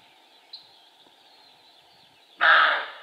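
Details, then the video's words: Quiet stretch with a faint bird note, then a single harsh, hoarse bark from a male roe deer that bursts out and fades over half a second. "Stirnu āža "riešana" - "Лай" самца косули - Barking Roe Deer"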